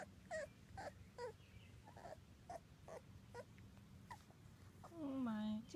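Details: Two-week-old British Labrador Retriever puppies from Ruby's litter of six (one black male, three black females, two yellow females), whelped June 24th, 2015: short high squeaky whimpers about every half second, ending in a longer falling whine.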